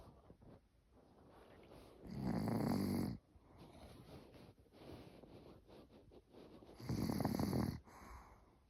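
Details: Elderly Maltese dog named Cookie snoring while asleep indoors: two loud, rough, low rumbling breaths about a second long, near two and seven seconds, with softer wheezy breathing in between.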